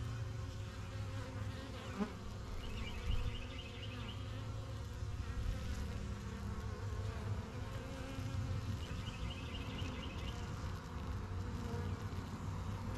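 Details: A thriving yellow honey bee hive in a backyard, bees flying in and out and learning the area: a constant low buzzing drone, with two brief trilled bird phrases in the distance and a tap near two seconds.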